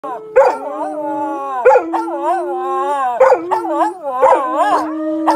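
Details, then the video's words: Samoyed dogs in a howling competition, several voices overlapping in long wavering howls that slide up and down, with sharp yelping onsets starting new phrases about every one and a half seconds. "Howling Samoyeds."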